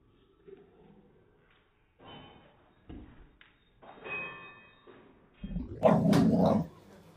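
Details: A Cardigan Welsh Corgi gives a short, sharp bark after several soft thumps and scuffles indoors while attempting to play catch.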